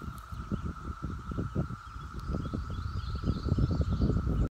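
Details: Brood IX periodical cicadas buzzing: a steady, unbroken droning tone holds through the whole recording, partly masked by heavy, uneven low rumbling and rustling noise.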